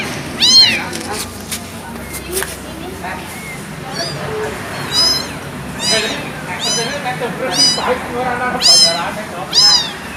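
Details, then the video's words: Abandoned kitten mewing: high, arched, harmonic-rich meows come in uneven bursts about once a second, some sharp and loud, others softer, over a steady low background hum. "Suara anak kucing dibuang"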